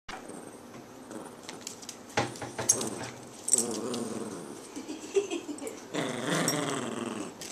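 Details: Two Chihuahuas, Jackson and Charlie, growl during a game of tug of war indoors: a low, rough, rumbling growl rises and falls in bursts, with louder surges near the middle and toward the end, and faint rustling between.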